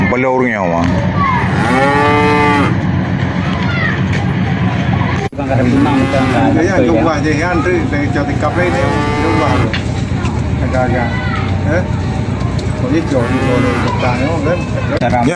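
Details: Cattle bought for qurban sacrifice in 2025, lowing repeatedly: several drawn-out moos, one long and strong near the start and shorter ones later, over continuous rumbling background noise with brief human voices.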